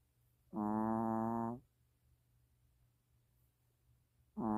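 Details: Mina the long-haired Chihuahua snoring while asleep: one full, nasal, harmonic snore of about a second, then quiet breathing before the next snore starts at the end.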